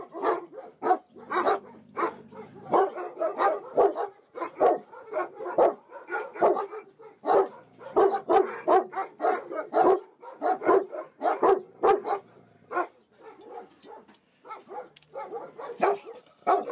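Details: Young puppies kept in a cage in Namyangju, South Korea, struggling to breathe, give a steady stream of short, high, harmonic yips and barks, several overlapping, with brief pauses near the end.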